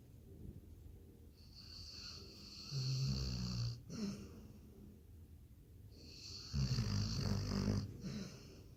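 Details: Snoring Labrador Retriever: two low, throaty snores with a hissing wheeze on the in-breath, several seconds apart, with soft breathing in between.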